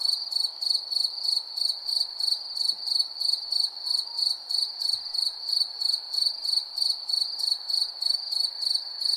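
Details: Crickets chirp steadily at night, a high, pulsing trill repeated about three times a second.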